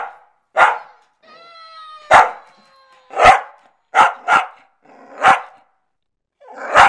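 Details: A big rescued Welsh Terrier confronting a toy that cries out; a series of abrupt, harsh barks spaced about a second apart, with a brief tonal, voice-like toy sound between the first barks.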